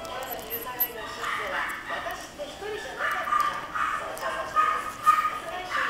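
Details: Chihuahua giving short, sharp yipping barks in uneven bursts, roughly two per second, with a person talking alongside and some background noise.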